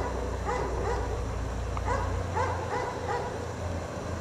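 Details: Domestic dog chained outside in cold snow all day, barking in a rapid run of short, sharp barks against a steady low engine-like hum.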